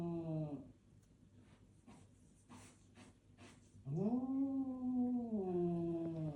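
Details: Cat squaring off against a mirror: a sustained low yowl trails off, followed by soft breathy puffs and rustling, then a second long moaning yowl swells, wavers, and dips lower toward the end.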